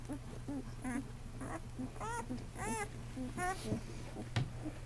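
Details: First-day Great Dane pups, newborn males of 2 lbs each from Lois's litter; clear arched whining cries alternate with brief low squeaks, against a steady background hum.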